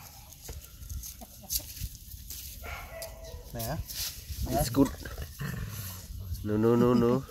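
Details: Injured dog giving short wavering whines and yelps, ending in a longer quavering whine that rises and falls, while a person repeatedly says no and speaks soothingly to it indoors.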